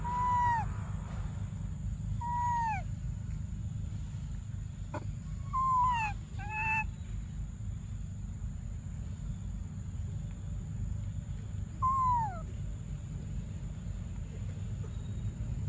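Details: Baby monkey Briar crying for milk during a tense standoff: repeated downward-sliding wails, some doubled in quick pairs around six seconds, spaced irregularly over sixteen seconds, with a sharp click and constant low rumble behind.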